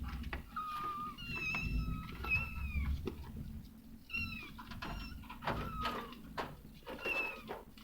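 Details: Domestic cat, a mother caring for her kittens, giving several short high meows with clear harmonics, some rising then falling, spread across the clip amid low rumbling and clattering household noise.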